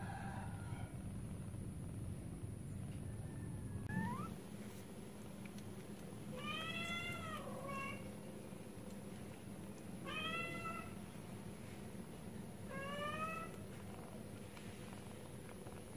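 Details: Four kittens drinking milk give short, clear, high meows. Most bend up and then down, and they come at irregular gaps of one to three seconds over a steady low rumble.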